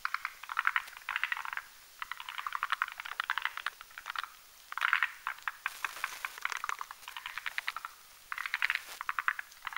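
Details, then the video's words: Forest green tree frogs, Rhacophorus arboreus, males and females gathered at night on a spindletree branch over a marshy mountain pond, making a foam nest and spawning; bursts of rattling, clicking croaks in roughly one-second groups, repeated steadily. "Forest Green Tree Frogs Having a Foam Orgy at Night"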